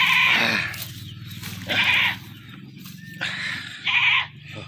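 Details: Bleating from a caught goat that was then butchered: four strained, nasal cries, the first and third longest, over a constant low droning background.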